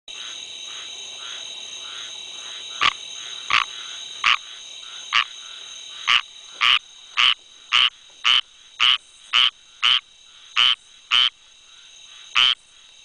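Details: A squirrel treefrog (Hyla squirella) calls with harsh, raspy notes repeated about twice a second over a steady background hum.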